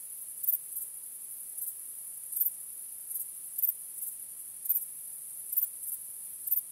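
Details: Nighttime crickets under a starry sky, sustained high-pitched trilling with bright, slightly irregular chirps about once a second standing above the steady drone.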